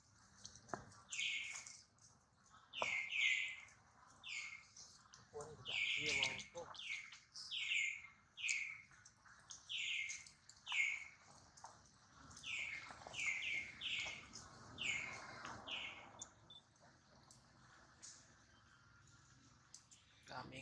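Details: Injured baby monkey Duke, mother Duchess anxious nearby, keeps up a steady string of shrill falling cries, roughly one every second, with faint human voices in the background.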